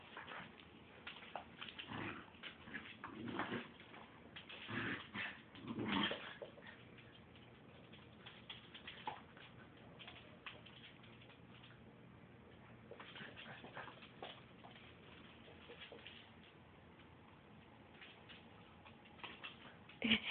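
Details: Pit bull rescue foster puppy Blueberry playing with dogs Margo and Fritz indoors on a rainy day; scattered soft whimpers and short yips amid scuffling bursts of rough play, with quieter stretches between.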